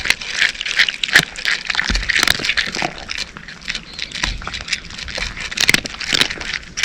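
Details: Cat eating dry food, chewing noisily. Rapid, irregular crunches and crackles are heard, with occasional sharp clicks, over a faint background hiss.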